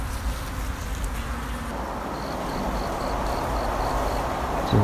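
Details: Wild honey bee colony nesting under an abandoned, vine-covered sofa, a long-established hive of 16 dark combs full of drone pupae with little honey; steady low droning hum throughout, with a faint repeated beeping tone midway and handling noise.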